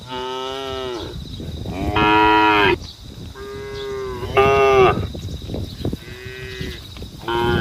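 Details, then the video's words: Cattle on a road calling to the herd: loud, drawn-out harmonic moos about a second long, several overlapping callers repeating every couple of seconds, with a person's voice and scream in the background. "SAPI DI JALAN SUARA SAPI BUNYI MANGGIL KAWANAN"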